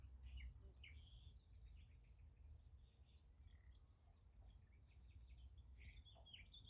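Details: Night chorus of crickets by a sunflower field: a high, shrill chirp pulsing about twice per second without pause, over a faint low rumble and a few soft background chirps.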